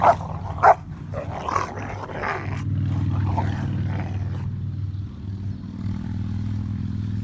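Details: One of three Rottweilers playing, chewing and humping together gives several brief, rough barks in the first few seconds, then a continuous low rumble and hum fills the rest.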